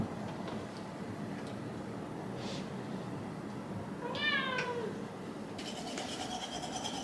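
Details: One quiet, bending whine-moan from Shiba Inu Hachi, grumbling in dog talk about a delayed bedtime, rises out of a hushed room before a burst of rustling noise.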